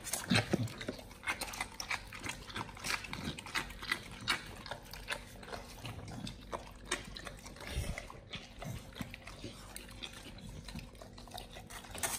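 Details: Raw-fed Pit Bulls working through a beef shank combo with liver, tripe and duck wings: sharp crunching bites and bone-cracking snaps scattered irregularly over low, wet gnawing and slurping, captured closely as eating ASMR.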